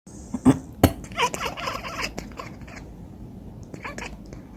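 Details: Cat chattering in reply to a person's coughs: two sharp coughs, then a quick series of clipped, bright chirping clicks, followed by a softer scattered burst near the end.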